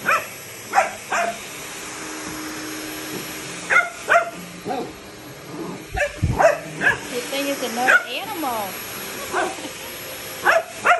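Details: A Golden Retriever barks at a Dyson, with scattered single and paired sharp barks over a low steady vacuum hum, plus talking voices and a brief wavering whine near the end.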